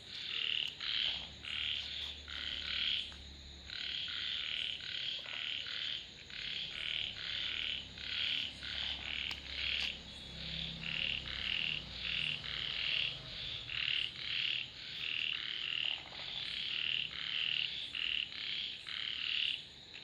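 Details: A frog chorus of many overlapping calls, fast trains of short rasping croaks running nearly without pause, some bursts louder and nearer than others, over a faint constant high hiss.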